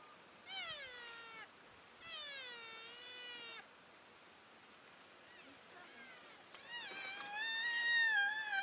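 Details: Elk keeping in touch with the herd as they move from one grazing area to another, February 3, 2012: two long, clear, descending mewing calls in the first few seconds, then a wavering, overlapping burst of calls toward the end.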